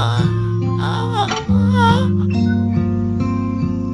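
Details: Strummed guitar music with a sung or spoken voice carrying over a steady low chord.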